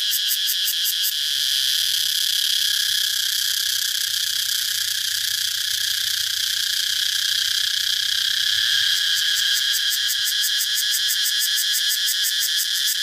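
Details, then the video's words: Cicadas calling: a loud, continuous high-pitched electric buzz with a steady tone, broken into rapid pulsing rattles in the first second and again in the last few seconds, with no other sounds. "Cicada sound || Cicada Sound Effect"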